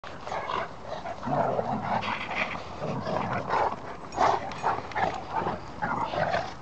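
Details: Cane Corso, German Shepherd and Dogue de Bordeaux play fighting, three dogs in a ruckus; rough growls and snarls in repeated bursts, with scuffling throughout.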